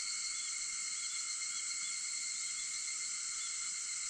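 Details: Early-morning cicada chorus on August 4 at 4:50: an unbroken, even, high-pitched buzzing wall with layered bands, unchanging in loudness over the short stretch.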